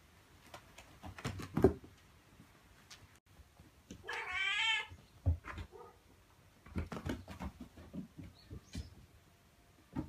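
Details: A mother cat calls her kittens indoors to keep them near and bring them outside. One strong, drawn-out, wavering meow in the middle, with scattered thumps, taps and quiet shuffling before and after it.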